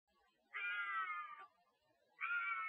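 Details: Bobcats, recorded on trail cameras in the woods, give drawn-out, harsh, wavering screams, each about a second long, while calling for a mate.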